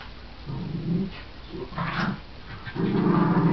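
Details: Pair of friendly dogs at play, a shih tzu/pomeranian cross and a miniature schnauzer that growls fiercely while wagging her tail; three short throaty growl bursts, the last longer and rising in intensity, with a brief sharper yap between.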